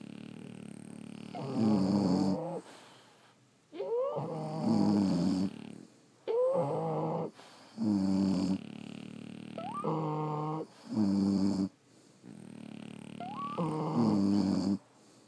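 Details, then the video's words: Snores from sleeping French Bulldogs, more than one dog: rhythmic rough harmonic breaths roughly every two seconds, several opening with a short upward squeak. "Snoring French Bulldogs"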